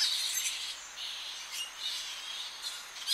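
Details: Early morning at a Tonga flying fox colony as bats return to roost: a steady wash of high, hissing screeches and squabbling chatter, many voices overlapping with brief louder bursts.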